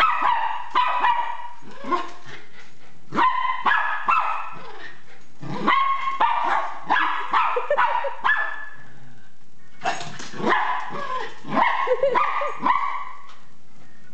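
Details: Zeus, a Miniature Pinscher alarmed by a remote-control car, barks in clustered bursts of two to four sharp yaps separated by brief pauses.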